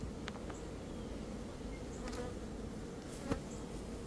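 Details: Swarming honey bees being shaken into a box on a two-swarm day in early May; steady low buzzing drone throughout, broken by a few brief knocks near the end.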